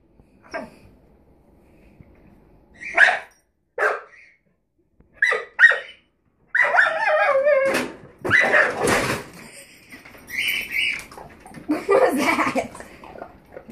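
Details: Rosie the puppy barking at the drawer under an oven: a few isolated yips early, then a busier stretch of barks mixed with clattering and human voices.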